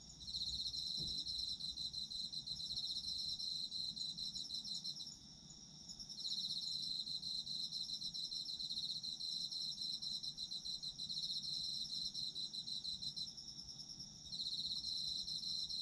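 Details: Autumn insects chorus at night for a sleep ambience, a dense high trilling band pulsing steadily, with several overlapping callers that drop out briefly near five and thirteen seconds before resuming.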